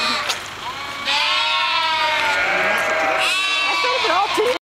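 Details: Sheep, a ewe in front and small lambs behind, travelling along the E134 road and calling to each other; long wavering bleats with rich harmonics, one lasting over two seconds, then a rising, quavering bleat, overlapping voices, steady hum of the vehicle.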